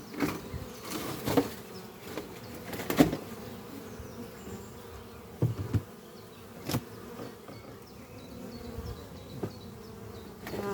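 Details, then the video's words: Spring-morning honey bee traffic at a horizontal oak-chest hive beneath trees; a soft background hum broken by louder individual buzzes roughly every second or two as bees fly past, faint distant birdsong behind. "Relaxing sound of bees flying at beehive Doppio on a spring morning"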